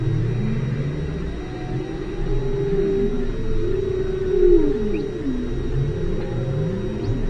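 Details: Underwater recording from station Aloha at 5 km depth: whale calls as low, curving moans that rise and fall in overlapping arcs over a continuous rumbling background with faint steady tones.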